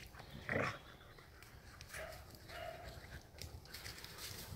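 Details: Two Heideterriers, a father and his daughter, playing together during the closed hunting season; one short rough growling yelp, then quieter low grumbles, with rustling and outdoor background noise.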